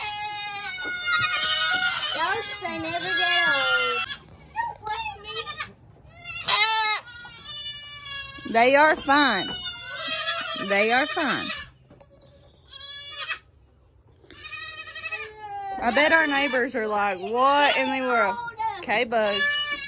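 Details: Baby goats in kidding season 2022, many kids calling loudly: overlapping high, wavering bleats with stacked harmonics, some rising and falling, in bursts with short quiet gaps, while a person talks between them.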